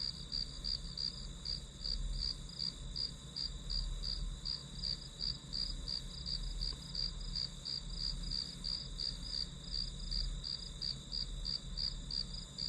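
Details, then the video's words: Grass insect chirping for a one-hour study session: a constant high ringing with evenly paced pulses about three each second, and a quiet low-frequency hum beneath. "풀벌레 소리"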